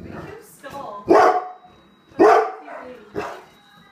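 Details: Pet dog barking at a suitcase, three loud harsh barks spaced about a second apart, with softer yelps and quieter sounds between them.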